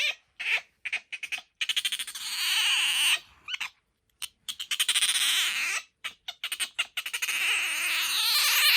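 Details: Bingo, a pet otter with an unusually high, soprano-like voice; dense series of shrill, rapid chirps merging into sustained piercing squeals, broken by short silences, very high-pitched throughout.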